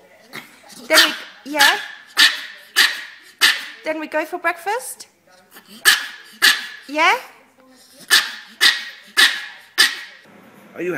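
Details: Dog giving a run of short, sharp barks roughly every half second, broken midway by a rapid burst of yelping, whining vocal sounds, with a person talking to it nearby.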